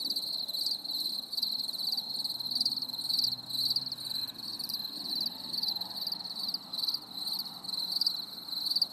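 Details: Crickets chirp steadily on a stormy summer evening in a high, pulsing chorus of rapid trills.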